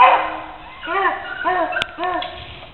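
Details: Puppies escaping from a cage give three short, arched, whiny yelps spaced about half a second apart, each with a clear ringing tone, following a louder burst of noise at the start.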